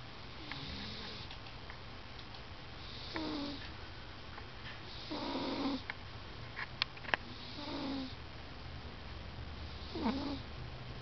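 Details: Napping male cat snoring loudly as he dreams. Hoarse, airy snores repeat roughly every two to three seconds, with a couple of sharp clicks near the middle and a constant low background hum.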